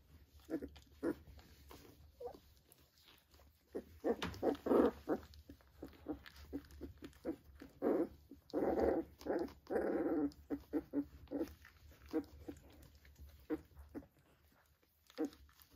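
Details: Three-week-old Vizsla puppies at play with their mother at a kennel, rough little growls and grumbling bursts in clusters, strongest around four to five and eight to ten seconds, amid tapping and scuffling.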